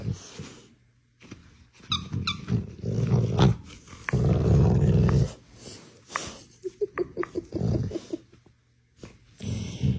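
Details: Pet bulldog growling while being urged on in play to get a little toy dog off: low, rumbling growls in uneven bursts with snorts and short higher squeaky notes, a person talking and laughing over it.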